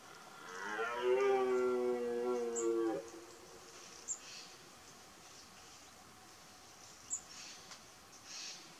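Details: Twelve-point red deer stag roaring during the 2018 rut: one long harmonic roar of about two and a half seconds, strong at first and falling slightly at the end, then quiet hiss with a few faint, high chirps.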